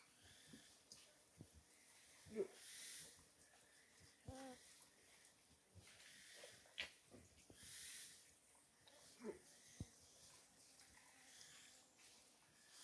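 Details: White-lipped peccaries at a salt lick giving low, wheezy snorts and short grunts at irregular intervals, each a brief rough burst. Splashing and rustling noises sound between them, and a faint hiss runs throughout.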